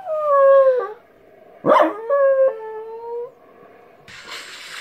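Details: Dog reacting to weird sounds, howling in level, sustained notes broken by a sharp yelp. Two more drawn-out howls follow, with a burst of hiss at the end.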